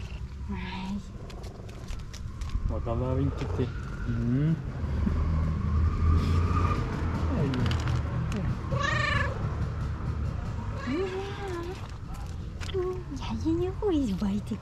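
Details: An excited pet cat showing her love makes several short rising and falling meows spread across the stretch, mixed with a person's affectionate talk and low rumbling handling noise.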